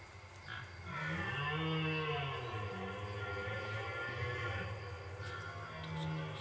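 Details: A red deer stag's rutting bellow, recorded not far from Geneva: a deep, drawn-out groaning roar, then a shorter low moan near the end, over a steady hiss of rain and wind, with a possible airplane and birds in the background.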